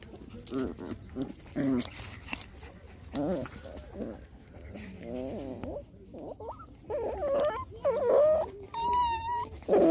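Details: Rottweiler puppies play fighting together, giving low rough growls and short whiny yelps in uneven bursts, with higher whimpering squeals near the end.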